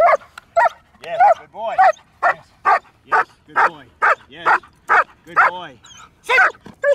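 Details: Jet-black German Shepherd during top-level protection obedience training, barking in a rapid volley of loud, harsh barks about two per second, some doubled, with a handler's voice briefly heard.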